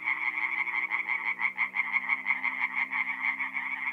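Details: Chorus of tree frogs at a north-east Italian forest pond by night in mid-April, fast rattling croaks pulsing several times a second in overlapping waves, with a steady low hum beneath.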